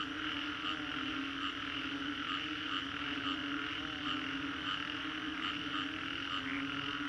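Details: Many frogs calling together after a storm in Singapore's Green Corridor, captured in 3D sound: continuous layered croaking and trilling forming an even drone, with short bright notes popping out roughly every second.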